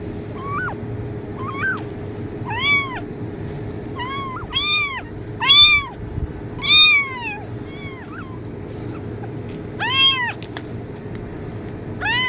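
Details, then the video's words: Irregular series of kitten meows used to attract cats, about a dozen calls of varying strength, some short and faint, others long arched cries clustered in the middle, over a steady low hum. "kitten meowing sound effect| cat meow sound effect| cat sounds to attract cats"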